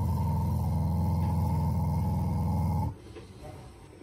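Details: A family Shiba Inu growls as an affectionate expression toward its owners rather than in anger. One steady, low, rattling growl lasts almost three seconds, then stops abruptly and leaves quiet room noise.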